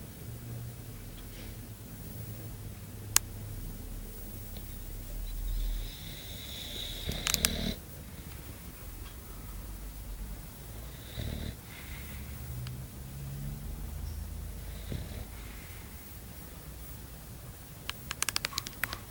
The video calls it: funny english bulldog snoring